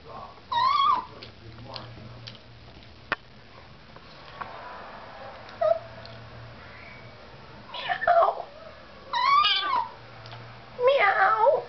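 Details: Sixteen-year-old three-legged toy poodle indoors making cat-like meowing vocalizations: several short, wavering, rising-falling whines in bursts near the start and repeatedly toward the end, with a person talking quietly and a low room hum.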